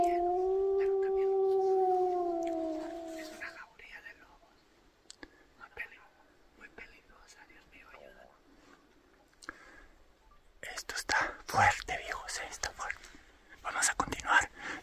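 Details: A gray wolf in the frozen Colorado mountains near Craig, heard during the 2022 first-season elk hunt amid bull elk bugling, gives a long, steady level-pitched howl, followed by quiet human whispering.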